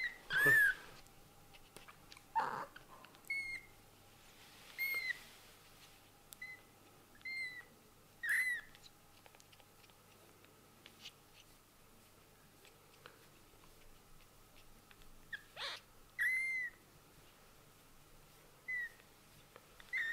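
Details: Young kittens with newly opened eyes mewing at intervals indoors, short high arched cries scattered among handling rustles and soft bumps, with quiet gaps between bursts.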